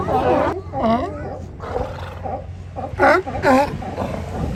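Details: Hundreds of sea lions lounging on Kiddie Beach at Channel Islands Harbor, Oxnard, California, during their annual migration, give hoarse, harmonic barks and roaring calls in irregular bursts.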